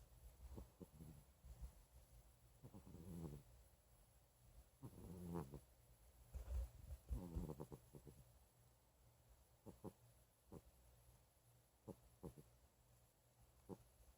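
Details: Puss Puss, a flabby tabby cat, snoring softly: low, rumbling breathy snores come in bursts every couple of seconds, louder in the middle of the clip, with brief faint clicks between them in a quiet room.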